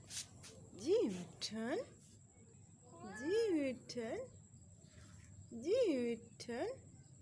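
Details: Pet cat meowing during play time: three pairs of short arching meows, each rising then falling, with a faint steady high whine and low background hum throughout.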